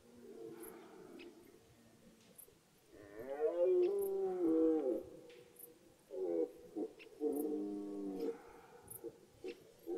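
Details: Rutting red deer in woodland as the rut begins, giving throaty, harmonic roars: a long, swelling bellow in the middle, then a second series of shorter, repeated groaning bursts, with faint clicks in the background.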